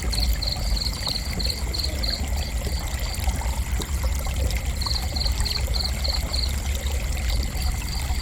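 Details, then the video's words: Cricket giving gentle chirps for relaxation in two bursts of quick, evenly spaced high pulses separated by a pause of about three seconds, set against a continuous low watery rush and a thin steady high tone. "Gentle Cricket Chirping"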